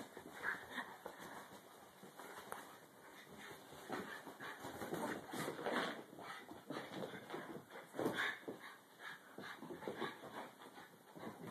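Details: Pet dog at play without barking or growling; soft whines, whimpers and huffing breaths come in irregular bursts throughout, with faint rustling and movement sounds.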